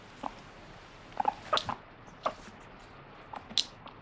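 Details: Pet guinea pig named Moru, indoors, grumbling with short 'pui pui' squeaks after being denied a treat or vegetables. Brief mid-pitched squeaks and clicks come in scattered bursts over a quiet room background.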